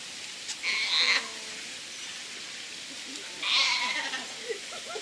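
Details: Sea lion pup at Prague Zoo giving two harsh, hoarse bleating calls, each about half a second long and roughly three seconds apart, over a steady background hiss.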